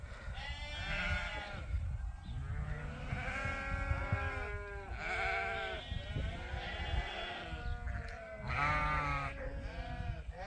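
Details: Flock of sheep crowding on a farm morning before release to fresh pasture, Ewetopia Farms: layered quavering bleats overlapping continuously over a low rumbling background.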